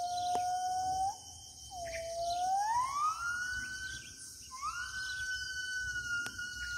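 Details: A gibbon in the interior forest of Kalimantan gives pure, rising whoops that climb and level into long sustained notes; finding: gibbon.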